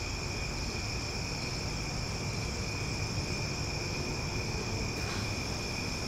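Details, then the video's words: Cicadas sounding loudly after dark in Omaha, a steady multi-toned high drone running unbroken, with a short soft rustle near the five-second mark and heavier low rumble underneath. "Cicada Sounds for Sleep"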